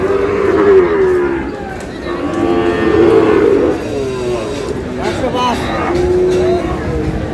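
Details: A pair of young Sahiwal calves at a cattle market in Sylhet, Bangladesh; several drawn-out, wavering moos follow one another while people talk and bargain nearby.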